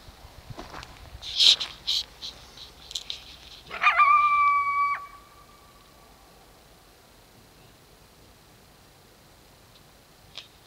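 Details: Coyote at dark. A few scratchy, rustling noises lead into one sustained, steady, howl-like tonal call lasting about a second, followed by near silence.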